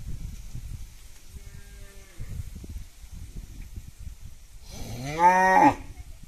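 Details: Village cow mooing while eating: low rustling and chewing-like noises, then one loud, drawn-out moo near the end with strong stacked harmonics, rising slightly then falling away over under a second.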